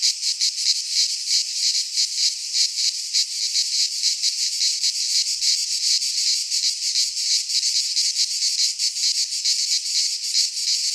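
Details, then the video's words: Cicadas singing in a Greek pine forest in midsummer: a dense, high, hissing buzz that never stops, with a fast shimmering throb. No other animals or people can be heard. "Cicadas singing in midsummer - Nature sounds from the Greek fauna - Sounds of cicadas"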